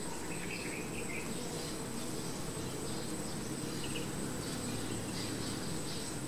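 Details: Continuous low droning hum of honey bees at their hive, even and unbroken throughout, overlaid by a steady high-pitched insect trill and scattered faint bird chirps.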